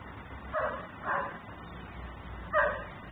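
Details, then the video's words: Dog barking while left outside, a nuisance caught on camera in Mecklenburg: two rough barks about half a second apart, a short gap, then two more barks, with steady low background noise. "Barking dog no one hears.......but me"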